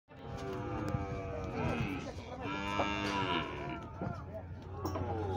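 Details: Nelore cows from a lot of sixteen at a cattle auction in Monte Aprazível, São Paulo, Brazil, on Saturday 9 January 2021, mooing; several long, droning, harmonic moos overlap and bend in pitch, with a steady low hum beneath.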